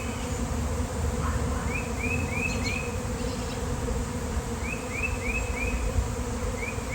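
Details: Large outdoor swarm of bees, reportedly honeybees, on a nice-weather day, many settling on the ground: an unbroken low humming roar for seven seconds, with two runs of four rising chirps from a bird.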